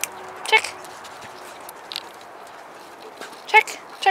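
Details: German Wirehaired Pointer x Bracco Italiano named Gus in a training session, told to check for a hidden object: two brief, clipped barks about three seconds apart, with a man calling check nearby.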